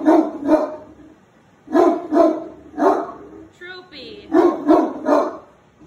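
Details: Great Dane upset by a mounted deer head on the wall, barking repeatedly: deep paired barks in quick bursts, broken by a brief high whine, then more barks.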